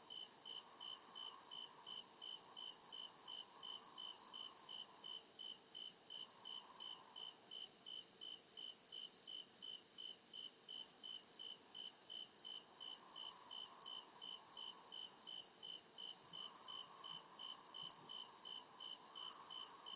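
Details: Crickets chirping at night in deep forest woods: steady high pulsed chirps, about two or three per second, layered with a continuous shrill trill above, over a soft murmuring insect background.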